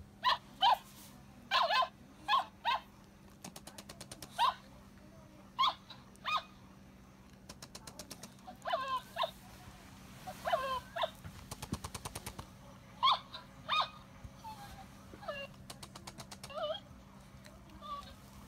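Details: Jealous play between Cavalier King Charles Spaniel Rino and Kiga indoors: many short, bright whimpers and yips, often in pairs every second or two, mixed with fast clicking trains and a constant low hum.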